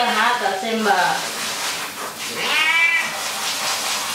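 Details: ['Pet cat complaining while being given a shower in the bathroom: a pair of quick meows, then a higher, strained, rising-and-falling meow a second later, with hissing background noise and some human voice.']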